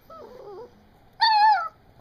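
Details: Seven-week-old female puppy indoors, vocalizing in a talkative way: a soft wavering whine first, then a louder, steady, slightly falling whine lasting about half a second, in a small quiet room.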